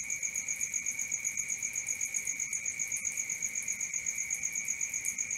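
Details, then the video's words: At night, crickets keep up a seamless shrill trill paired with an even higher pulsing chirp repeated several times a second, steady and unchanging throughout. "Cricket 1 hour for Sleeping & Relaxation, Black Screen, ASMR, Dark Screen Nature Sounds"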